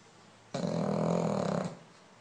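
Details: Lolla, a female French Bulldog, lets out one loud, drawn-out snore of just over a second while sleeping. It has a low buzzing rattle and steady strength throughout.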